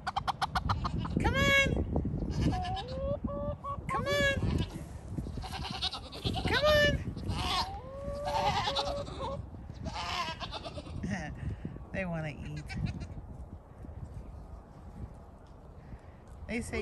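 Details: Pygmy goats at Pygmy Harbor Farm in Knoxville, Tennessee, bleating to be fed; several loud wavering bleats overlap in a chorus, fading toward the end, with farm background noise.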